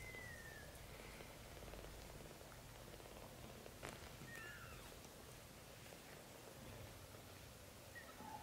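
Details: Young British Shorthair kittens, from a litter filmed growing up over their first 30 days, giving several thin, high, faint mews, short and slightly falling, spaced irregularly across the stretch over a steady low rumbling background.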